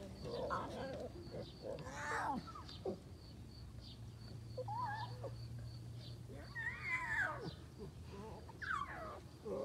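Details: At Taigan the lioness Lola talks with her cubs as food arrives: a run of short, wavering, mewing calls, some rising then falling, scattered every second or two, with a steady low hum and brief human voices.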